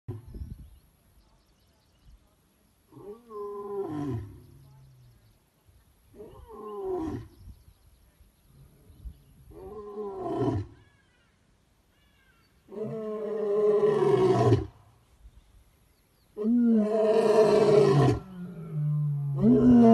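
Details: Captive male lion, king of a sanctuary pride, roaring at sunset: a series of deep moaning grunts spaced a few seconds apart, building into longer, louder, harmonically rich roars toward the end.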